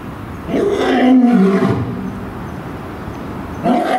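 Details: Lions at Tennoji Zoo, male Gaou and female Luna: the male roars and the female answers. A deep, moaning roar with a falling tone lasts over a second. A second roar begins near the end.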